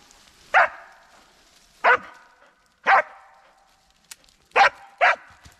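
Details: Sheba, an excited dog on a forest hike, barks while trying to climb a tree after a chattering squirrel: five sharp, loud barks spaced roughly a second apart, the last two close together, with quiet pauses between.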